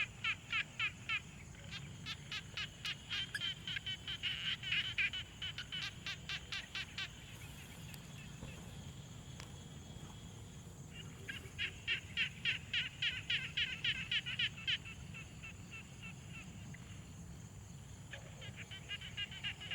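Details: Frogs at a quiet pond give fast, rattling trains of clicky pulses in bursts, with long pauses between them.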